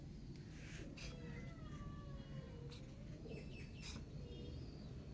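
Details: Hungry kitten stuck up high, calling for food: several faint, drawn-out meows with arching, sliding pitch, spaced across a few seconds, over steady low rumbling background noise and occasional clicks.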